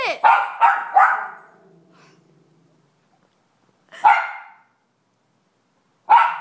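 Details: Miniature Schnauzer, a one-year-old female, barking at a dog shown on TV at home: a rapid burst of three sharp barks, silence, then single barks at about four and six seconds.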